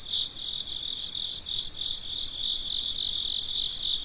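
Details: Night-time crickets giving steady, high, ringing chirps in evenly spaced pulses, several overlapping callers forming an unbroken shrill chorus.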